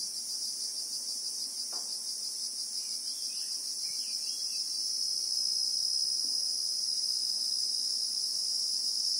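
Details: Christmas beetle (Anoplognathus) chorus in South African bushveld with acacia trees, a steady high shrill drone in two bands, pulsing quickly and continuously, with a few faint distant chirps underneath.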